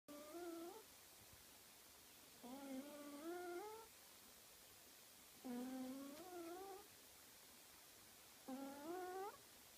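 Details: Sleeping domestic cat snoring: four drawn-out nasal, whistly breaths with rising tones, each about a second long and spaced roughly every two to three seconds, over a quiet indoor background.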